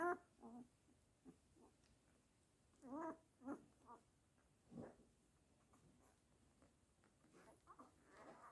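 A Weimaraner gives short, nasal whining and grumbling sounds in irregular bursts, with quiet pauses between.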